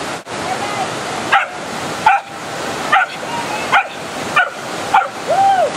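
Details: Miniature poodle Luca, aged two and a half, fetching sticks in a cold, fast Wyoming mountain creek; short barks repeat roughly every three-quarters of a second, ending in a higher yelp, over loud rushing water.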